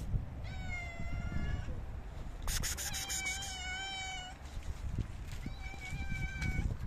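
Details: Several hungry homeless cats meowing while being fed dry food outdoors: drawn-out harmonic meows with a louder, more strained overlapping cry in the middle, then another meow near the end, against low continuous rumble.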